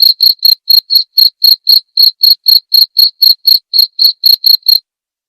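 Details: Cricket sound used as masteran for white-rumped shama training at night. Short, sharp high chirps follow steadily at roughly four per second, then fall silent near the end.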